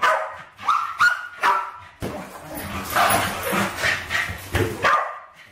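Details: West Highland White Terriers Alfie and Crystal, around 7 and 8 years old, at play with balloons in a kitchen in 2012; a few quick barks open, then a noisy stretch of rustling and scuffling with more barking at the end.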